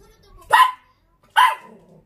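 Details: Short-legged pet Dachshund barking back at its owner as if in conversation; two sharp, bright barks about a second apart, with faint speech at low level between them.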